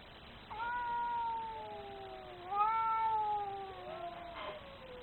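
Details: Angry cat producing two long, sustained nasal yowls, the second louder, each rising briefly then sagging slowly in pitch before a short harsh break at the end; no other sounds.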